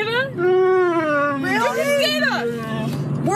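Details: Dog making speech-like vocal sounds: a sustained moaning tone slides slowly downward, broken by quick warbling inflections in the middle, with continuous low rumbling background noise throughout.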